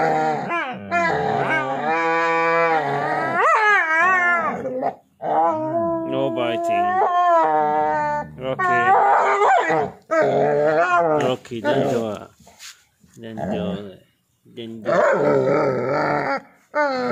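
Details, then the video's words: Playful husky annoying a pitbull, giving long yodelling howls that rise and fall in pitch, some held steady for a couple of seconds, interspersed with grumbling whines and a few brief pauses; a person speaks faintly. "Pitbull Getting Annoyed By Husky"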